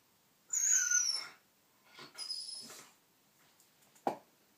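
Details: Jack, a white Shiba Inu unable to get his hoof chew out, lets out a loud high-pitched descending whine, then a softer second whine, followed by a single sharp knock.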